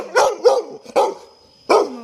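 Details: Toby, a pet Labrador Retriever, barks four times: three sharp barks in quick series, a pause of about half a second, then one more loud bark, each bark short and hoarse.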